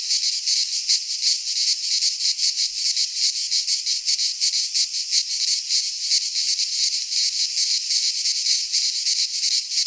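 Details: In a Greek pine forest at midsummer, cicadas keep up a constant piercing buzz, pulsing evenly about three times per second without pause.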